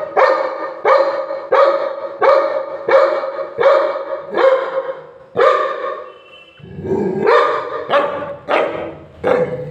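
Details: Labrador Retriever; bark; anger, aggressive barking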